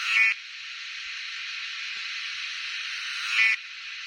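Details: Summer cicada chorus: a continuous shrill buzz that holds level for three seconds, with brief louder surges at the start and near the end.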